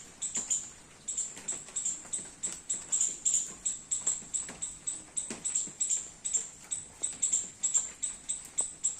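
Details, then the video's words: Squirrel in a garden during rain while eating baby coconuts; sharp, high-pitched chirps repeat steadily, about two per second, each a brief bright note with a faint lower echo, through the whole stretch. "Squirrel making sound eating baby coconuts and enjoying rain in my garden"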